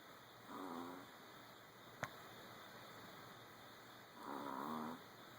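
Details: Sleeping old dogs snore gently, two drawn-out buzzing breaths near the start and end, rough and slightly whining, with a single sharp click between them and constant background hiss.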